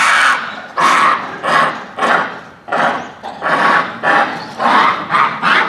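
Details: Japanese macaques calling at dusk at Hamura Zoo, Japan, December 2020, the troop boisterous just before closing; a rapid series of loud, rasping squeals, roughly one every second, rising and falling in irregular bursts.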